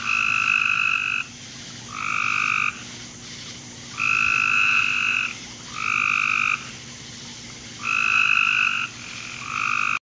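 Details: Backyard frog chorus on a July night in 2017, late evening: long buzzy croaks about a second long, alternating with short gaps roughly every second, a steady pattern over a low constant hum.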